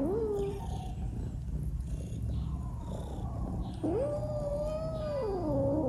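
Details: Tiny female kitten meowing after seeing a big fish in a dish and wanting to eat it. A short rising meow comes first, then after a pause a long, level, drawn-out meow that falls at the end, over a steady low rumble.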